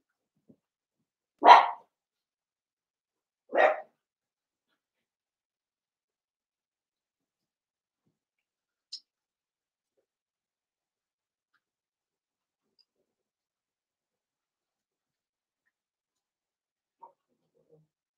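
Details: Two separated puppy barks about two seconds apart, then near silence with a couple of tiny clicks, from seven-week-old blenheim Cavalier King Charles Spaniel puppies in a home puppy pen, a litter of five born at New Year.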